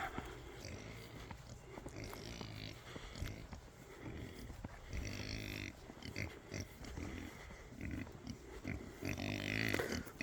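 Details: Big female Kunekune pigs on a farm at morning feeding time, giving low, rough grunts in short irregular bursts as they jostle over food, with some rustling and handling noise from the farmyard.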